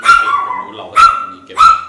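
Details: Gray chihuahua barking at a dog home in November 2012: three shrill, ringing yaps, evenly spaced about 0.7 seconds apart, each starting sharply and trailing off briefly.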